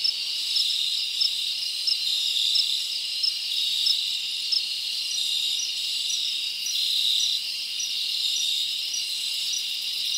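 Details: Many crickets in a forest on a summer night, forming a steady shrill high chorus with small bright chirps sprinkled through it, no other sounds standing out.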